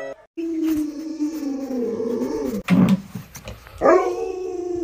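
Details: Pet Alaskan Malamute Luoluo at home gives a steady, low, sustained moaning howl that slowly drifts downward, broken by a clatter, then ends with a brief rising yelp.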